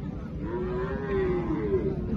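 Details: A deshi cow at a Qurbani cattle market in Nilphamari, Bangladesh, 2025, gives a drawn-out, level lowing moo of over a second, with busy crowd chatter and market bustle behind.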